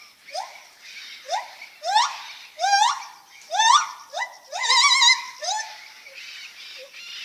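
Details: Lar gibbon making funny noises: a sequence of upward-sweeping hoots, some breaking into vibrating, wavering cries in the middle, then trailing off into softer, shorter notes.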